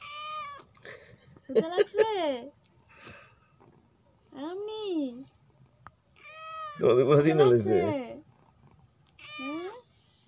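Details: Pet cat named Mini meowing indoors: a series of drawn-out arching meows, some rising then falling, one longer strained meow near the end, with quiet gaps between calls.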